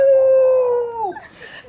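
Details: Pet dog howling in reaction to a house phone ringing: one steady, pure-toned howl held for about a second, then sliding down in pitch and breaking into softer, noisy whimpering sounds.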